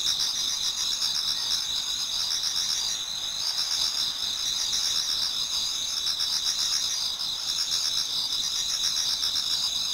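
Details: Towards dawn in autumn, a Japanese garden full of singing insects: continuous high, ringing trills stacked in bands, with quick repeated chirps woven through and a brief dip in loudness midway.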